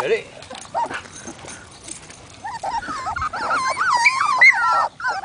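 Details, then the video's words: Labrador Retriever puppies whining for attention; quiet murmured voice and faint whimpers at first, then louder wavering, squeaky whines rising and falling in pitch during the second half. "Sad Puppy Cries! (Labs whinning for attention)"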